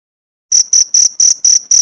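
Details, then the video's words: Cricket chirping, recorded as tutor material for training pleci (white-eye) songbirds, with 1–2 minute pauses; six sharp, high, buzzy pulses after half a second of silence, repeated about four times per second. "Masteran jangkrik untuk isian burung pleci mewah jeda 1-2 menit"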